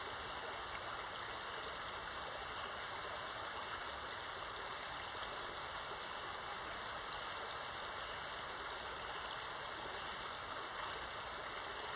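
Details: Steady rushing stream water fills the whole stretch as an even broadband hiss, with a thin constant tone running through it and no calls standing out.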